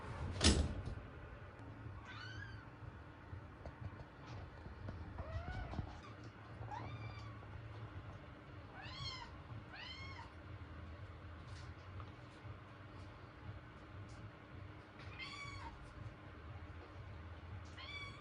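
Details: Kitten indoors; high thin meows repeated every second or two across the recording, over a steady low hum, with a knock near the start.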